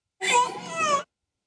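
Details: Wiki, a 14-year-old female killer whale, imitates the human word "hello" with one drawn-out, strongly harmonic, voice-like wail.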